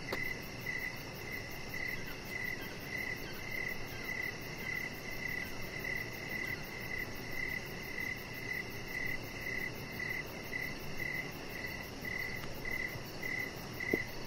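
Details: Outdoor evening cricket chorus by a deck shared with a chihuahua puppy, Rocket; steady high chirps repeat about twice each second throughout, with a faint click near the end over constant hiss.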